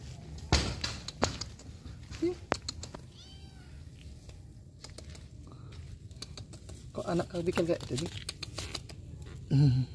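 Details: Unfed kitten searching for its mother, left alone while she went off to mate, given rice mixed with fish; a few short arching meows near the start, then people talking and clattering sounds indoors.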